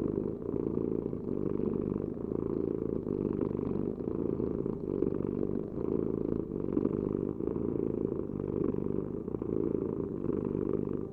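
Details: Low, rough purring of a cat, an unbroken rumbling drone rising and falling with slow breaths, recorded close with nothing else audible.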